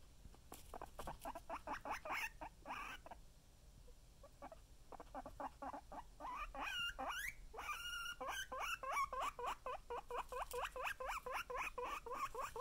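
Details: Guinea pig named Chip giving long runs of squeaky, rising wheeks, quick and uneven at first, then a steadier, louder stream of sharp upward-sweeping squeals in the second half.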